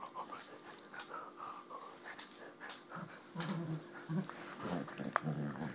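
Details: Springer Spaniel play fighting, giving low, rough growls in short bursts that grow stronger in the second half, mixed with panting breaths and scuffling noises.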